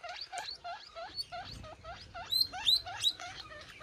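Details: Baby guinea pig calling its mother: rapid series of short squeaks, each with a slight upward kink, repeated about three times a second, with a few higher whistled notes near the end.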